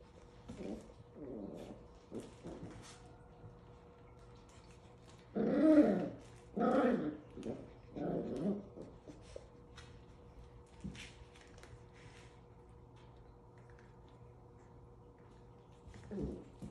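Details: Playful Havanese puppies, 7 weeks old, make scattered small yips early, then a burst of louder growly barks midway, tapering to occasional soft yaps over a low constant hum.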